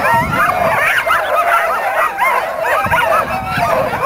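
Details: Dogs gathered for the Caribou Carnival dog races, 2007, keep up a frantic stream of short yips and barks, many animals calling at once.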